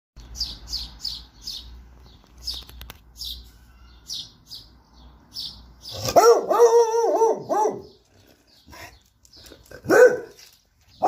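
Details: Purebred beagle barking: after chirping birds and low rumble, a long, loud, wavering bay-like howl lasting about two seconds, then a shorter bark; bird chirps continue throughout.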